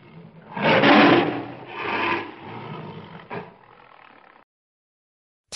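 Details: A tiger (Panthera tigris) at a zoo roars, a harsh, rasping roar in two strong bursts, then fading growls.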